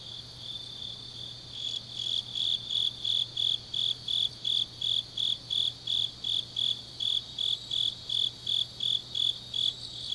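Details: Autumn grass insects singing late at night in Changnyeong, Gyeongnam, South Korea: after a quieter opening, high chirped pulses begin near two seconds and repeat steadily almost three times per second over a continuous insect hum and faint low hum.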